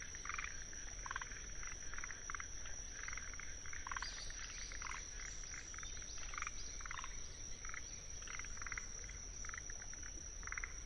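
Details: Wetland chorus of Forest green tree frogs in Tsuruoka, Japan, recorded 19 June 2021 on a ZOOM F6: many brief chattering croaks, some overlapping, repeated every half second or so, above a constant high-pitched Kinhibari cricket trill and low background hum.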